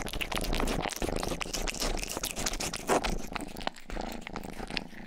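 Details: Rangi, a young pet cat, purrs beneath loud, close, wet licking noises, the low rumble steady while sharp smacking grooming sounds dominate throughout.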